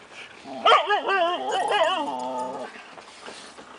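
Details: Five-month-old Siberian Husky puppies at play in summer 2008, alongside two adult huskies; a loud wavering howl-like vocalization with stacked harmonics rises and bends over about two seconds, then trails off into quieter background.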